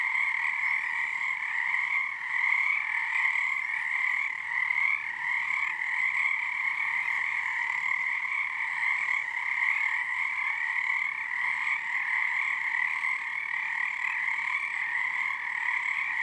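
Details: Many frogs calling together at Frog Korner, Harstine Island, Washington, beneath the season's first full moon; continuous overlapping trills form a thick, even wall of sound with gentle swells in loudness.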